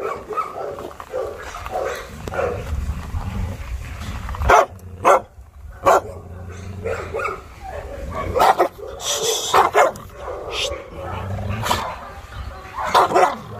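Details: Loud intermittent barking from the Chow Chow Maike amid training chaos, single harsh barks breaking out every second or two over a steady murmur of background noise and occasional human voices.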